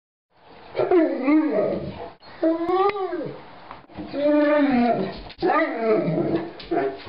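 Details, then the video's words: Seven-year-old, 205-pound pet mastiff making playful wookie-like sounds: a run of drawn-out, wavering groaning moans that rise and fall in pitch, roughly four long bursts with brief breaks between them. "Funny Mastiff Making Wookie Sounds"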